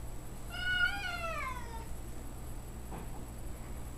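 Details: Domestic cat reacting to a dog it met less than a day earlier; one long, wavering meow that rises then slides downward, fading after about a second and a half, with low hum in the background.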